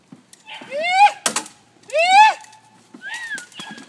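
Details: Hannah, a two-and-a-half-month-old female registered Malinois puppy in early bite training for ring or mondioring, gives two drawn-out, rising, harmonic yelping whines followed by a shorter softer one, with sharp taps and clicks between them.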